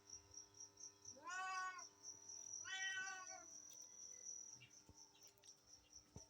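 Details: Cats and kittens: two plaintive meows close together, set against steady background hiss and a continuous high pulsing insect-like tone.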